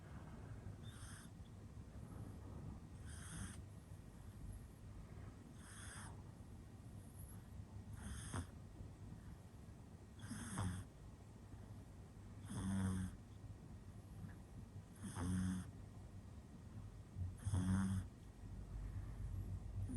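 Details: Pug puppy, a boy born in 2021, fast asleep: rhythmic snoring, airy wheezes alternating with deeper grunting snorts, repeating about every two and a half seconds and growing louder toward the end, over a low steady hum.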